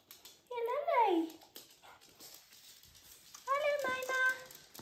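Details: Japanese Chin dogs greeting their owners on arriving home, indoors in a small room: two drawn-out, whiny tonal vocalizations, the first sliding downward and the second rising then holding steady, with quiet background noise between.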